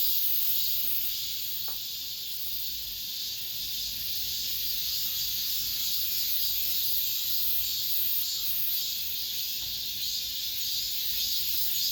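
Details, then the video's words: Cicadas filling an apartment complex with their final song of summer: a long, steady, high buzzing chorus with slow waves of loudness and a few faint knocks. "올 여름 마지막 매미소리"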